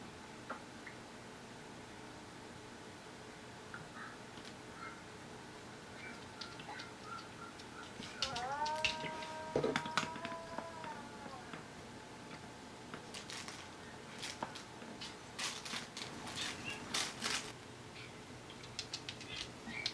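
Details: Indoor pet dog, an older sister dog, howling in reply to the younger dog's cry. A sustained, harmonic howl about three seconds long, steady then gently falling, rises midway. It is followed by scattered clicks and tapping in a small room.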